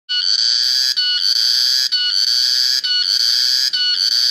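A single cicada drones with an intense, high, metallic buzz, almost like an electric alarm. The sound runs in steady bursts, each broken by a brief gap roughly every second, with nothing else audible.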